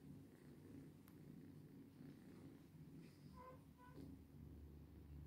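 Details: Purring cat, a low droning throb held the whole time, with a brief faint higher tonal chirp partway through.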